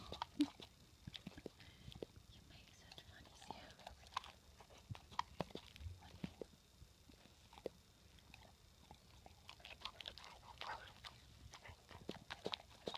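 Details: Female Rottweiler Gaia munching healthy snacks loud and proud in a small room: steady irregular crunches and crisp bite clicks spread across the whole stretch, with soft smacking between them.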